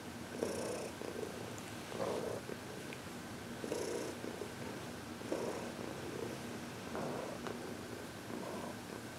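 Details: Happy senior cat Heidi, 14, once a Humane Society of New York City shelter cat, purrs through a massage and reiki session on February 22, 2021; low rumbling purr pulses repeat about every two seconds with quiet background hum.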